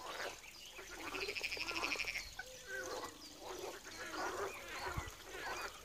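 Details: Chorus of frogs at a pond in Wiry: a rapid, rattling run of pulsed croaks early on, then many overlapping duck-like, creaky croaks repeating without pause, with one brief knock near the end.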